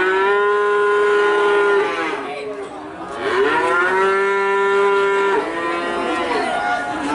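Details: Two long, level moos from a cattle calf in Nganjuk, each held for roughly one and a half seconds and ending in a falling slur, with fainter moos from other calves between and after.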